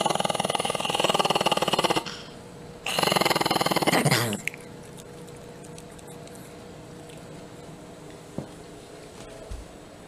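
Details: Pet Chihuahua, Butch, giving two buzzy pulsed growls in the first four seconds, then near quiet with faint room noise.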